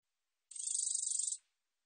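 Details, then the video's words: Geomeun-te-baejjangi katydid, a Korean species, recorded in 2020 by the National Institute of Biological Resources: one high, rasping pulsed buzz lasting just under a second, about twenty quick ticks fused together, with no other sounds. "검은테베짱이, 여러번 듣기, 곤충소리"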